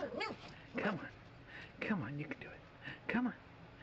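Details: Cavalier King Charles Spaniel puppies Domino and Baxter, born January 4, 2011, playing outdoors on a deck on April 3, 2011, the first sunny day after two months of rain. Short arched yips come roughly once a second over steady background hum.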